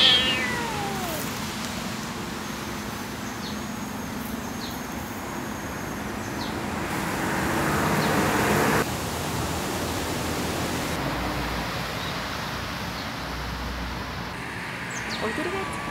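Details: Baby cat out on the street giving a thin, falling meow at the start and another rising cry near the end, separated by long stretches of steady traffic roar and street noise.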